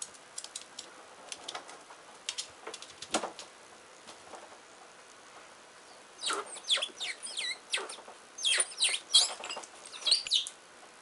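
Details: Richardson's ground squirrels fighting while digging: scattered scratching and clicks of digging at first, then a burst of sharp, high, descending squeaks and chattering notes in quick irregular succession.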